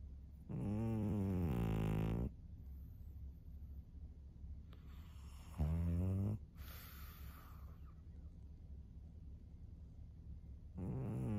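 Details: Maria, a 13-year-old fawn female senior pug kept as a pet in Japan, recorded 3 March 2024, snores in deep, buzzy, harmonic-rich rasps: a long snore, a shorter one after a quiet gap, then a third starting at the end over a low steady hum.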